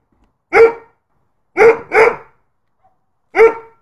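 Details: A Bullmastiff kept as a protection dog gives four loud, deep single barks, two in quick succession, with silent pauses between.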